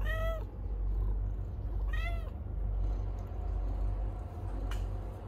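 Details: Stray cat in the middle of giving birth; two clear, arched meows about two seconds apart, then quieter faint mewing over a steady low hum.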